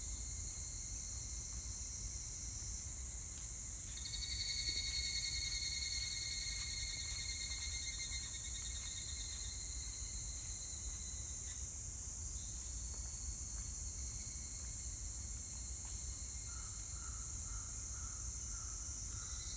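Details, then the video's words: Evening cicada recorded on 25 July 2019, giving long trains of rapid pulsed notes at a steady high pitch, one running several seconds then another starting after a short break, over a constant shrill insect chorus and low rumble. "セミの鳴き声 ひぐらし"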